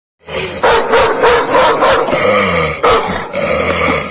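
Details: Dog barking loudly in a rapid run of harsh, broadband barks, about three per second, with a steady low rumble beneath.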